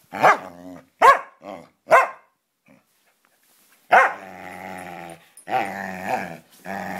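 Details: A Samoyed and a Siberian Husky play fighting in friendly fashion: three quick harsh barks, a pause, then a drawn-out growl rising into higher whining growls.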